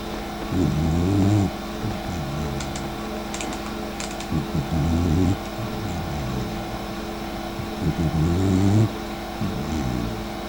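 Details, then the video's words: Mika, a sleeping dachshund and the sister of Eva, snoring indoors. Low, rasping, throaty snores come in bursts about every three to four seconds over a steady hum, with faint clicks between breaths. "Такса по имени Ева сняла на видео как храпит её сестра Мика"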